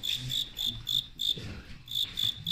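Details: Fighting crickets chirping during a staged fight between a Qingdao team's insects: sharp, high pulsed chirps repeated about every quarter second in short bursts, with a brief pause midway and low handling noise.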